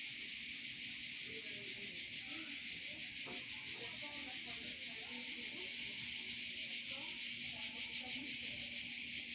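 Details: Cicadas singing in Provence, France, a nature relaxation recording: a dense, continuous high buzzing chorus with a fast pulsing shimmer, steady throughout, with faint low murmurs beneath.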